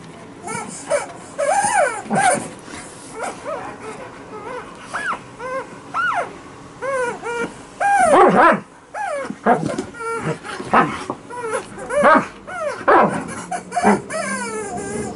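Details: Female Alaskan Malamute playing with a chicken toy on a bed indoors; repeated high, whiny, bending yelps and squeals in irregular bursts, some rising then falling, with short breaks and rustling between.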